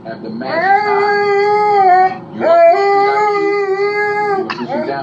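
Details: An Alaskan Malamute gives long, mellow howls, each sliding up at the start and then holding steady, howling in response to hearing a man howl on screen.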